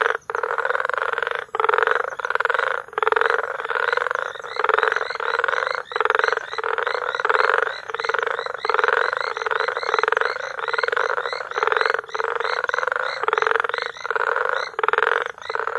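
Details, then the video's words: Sustained frog chorus in May at Bagamoyo, Tanzania: overlapping rasping pulsed calls in rhythmic bursts, about one per second, separated by quick dips, continuing without let-up. "Frog Sounds"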